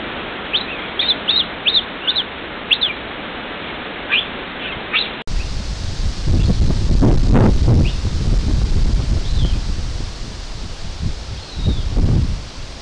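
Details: Cougars on forest game cameras communicate with quick, high, bird-like chirps and squeaks in short repeated bursts.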